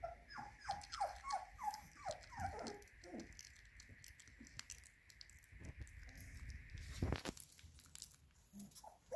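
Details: Labrador Retriever puppies being fed minced beef indoors: a quick series of high whimpers for the first few seconds, then pattering, rattling feeding noises with a steady faint hum.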